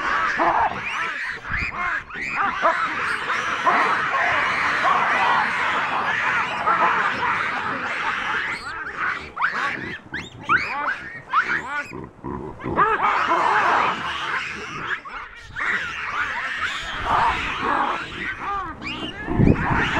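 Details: Chacma baboons of a wild, habituated troop in South Africa's Soutpansberg mountains scream at a rock python holding a juvenile; many harsh, overlapping screams and cries surge and fade in waves, with short quieter gaps between bursts.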